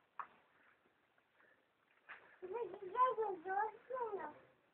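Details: Sheep being fed by a young girl in a small village in Šumadija, Serbia; a quavering, wavering bleat of about two seconds follows a few faint, brief voice sounds.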